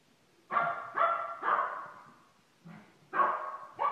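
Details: An excited Shih Tzu gives short, sharp barks, three in quick succession about half a second apart, then a pause and three more.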